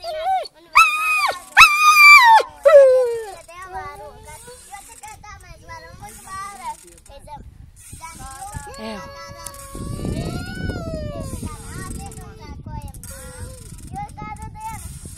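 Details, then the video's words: Dog whining with a few loud, sharp, high yelping cries at the start, followed by softer drawn-out whines that rise and fall, against a quieter hissing background. "собака скулит"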